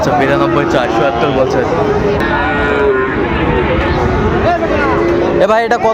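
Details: Cattle mooing at Raniganj market in Dinajpur, Bangladesh, where Sahiwal bull calves are traded on 23 October 2025. Long, steady lowing calls sound beneath constant human talk and haggling, with a brief noisy burst at the end.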